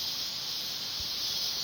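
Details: Cicadas in the mountains: a steady, dense, high-pitched buzzing drone that holds unbroken and even throughout, with one soft low thump near the middle.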